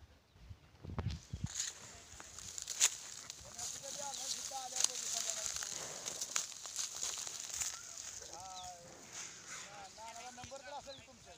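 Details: Kamori goats at crossing and meeting, giving quavering, harmonic bleats in clusters toward the end, each a short shaky wail, against people talking nearby and a steady high hiss outdoors.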